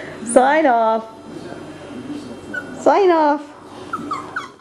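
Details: Male Cockapoo puppies, four brothers named Kujo, Louie, Oliver and Bo, recorded on 18 April 2014: two high, drawn-out whining cries, each rising then falling and lasting about half a second, a few seconds apart, with faint softer squeaks between.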